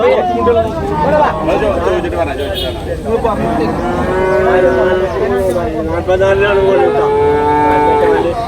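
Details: Young water buffalo at a livestock market in Payyanad, Manjeri, Kerala, India. Overlapping moos wobble and waver amid talk, ending in a long, steady, nasal bellow that lasts nearly two seconds.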